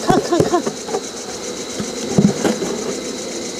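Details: A steady engine drone runs throughout, with short bursts of human voices near the start and again around the middle.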